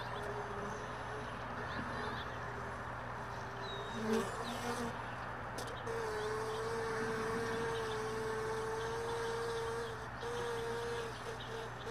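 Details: Honey bees around hive boxes left all day in a truck bed, early morning. A steady buzzing drone swells and holds for several seconds near the end, over a broad background hum, with faint bird chirps above.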